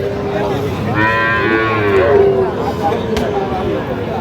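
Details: At a busy cattle market on 12 August 2025, a Sahiwal bull calf gives a drawn-out moo with a rich stack of harmonics, amid people talking and faint music.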